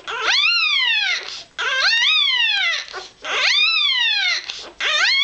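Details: Newborn Irish Terrier puppy, hours old, piping as it seeks warmth and milk: four long squeals that rise sharply and slide downward, repeated roughly every one and a half seconds with short silent gaps.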